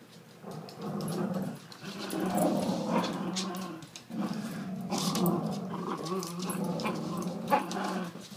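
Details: Two dogs, The Dread Pirate Windlass and Angus, a fostered terrier, play tug of war at an office; a big dog against a little one. Steady low rumbling growls run almost throughout, rising and falling in bursts with brief pauses and scuffling noises.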